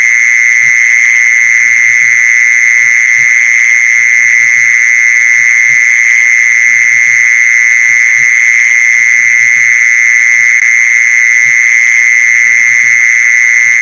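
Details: Continuous mole cricket calling used to lure mole crickets: an unbroken high-pitched buzzing trill at steady volume with a faint higher overtone, and light irregular low thuds beneath it.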